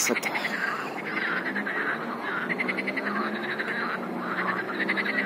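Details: Frog chorus of overlapping rapid croaks and rattling trills, a sharp click at the start, the din steady and slightly softer in its high tones.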